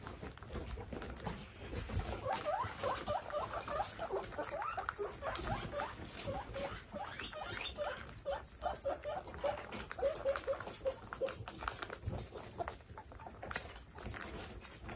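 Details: Baby guinea pigs in a large indoor group of 27, giving repeated short squeaks and chirps over a steady background of rustling and pattering.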